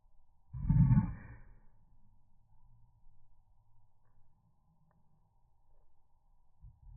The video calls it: Slow Motion Dog Bark & Sneeze